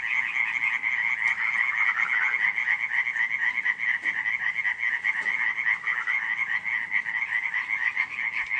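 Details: Frogs calling together on a July night in 2015 at Radziszów. Quick pulsed croaks run continuously and overlap, forming a constant chattering chorus with occasional faint clicks.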